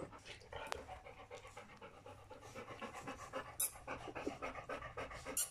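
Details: Three-week-old puppies from the litter of Folie and Mayley, panting in quick breathy bursts about four times a second, with a few sharp clicks and soft knocks in the background.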